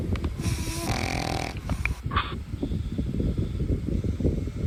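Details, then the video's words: Sleeping dog giving a couple of raspy snores in the first two seconds, followed by soft low breathing and background rumble. "SNORING DOGS"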